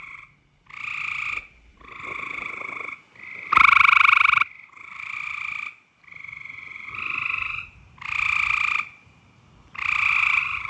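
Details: A frog in mating season gives loud, nasal, buzzy croaks in bursts about a second long, repeated with short gaps.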